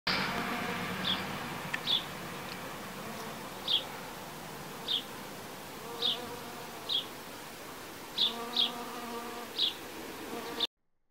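A bee's low, humming wing buzz that swells and fades, with sharp high ticks recurring about once a second.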